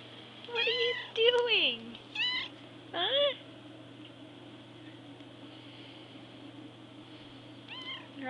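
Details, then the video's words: Loud hungry cat demanding food, giving several drawn-out meows that rise then drop steeply, one long descending wail, then a pause before two more short meows, with a steady electrical hum behind. "The Food Now Meow"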